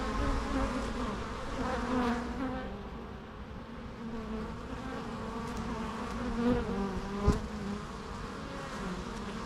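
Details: Low droning buzz of bees, steady and layered, with wavering pitch as insects move about; one sharp click stands out near the seventh second.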